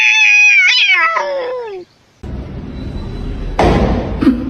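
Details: Domestic cat giving one long, drawn-out, strongly harmonic meow that wavers and slowly falls in pitch over nearly two seconds. A brief silence follows, then quiet room noise and a knock.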